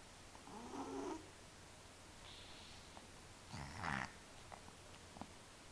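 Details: Cat deep asleep, giving two soft, rasping snores about three seconds apart, each a short buzzy swell against a constant low hum in a quiet room.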